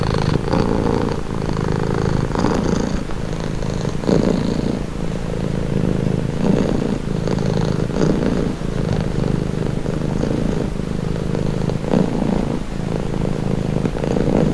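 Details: Domestic cat purring, offered as a calming, relaxing sound: a steady low rumbling purr with a fine pulsing texture and soft breathing swells, continuous for the whole stretch with no other sounds.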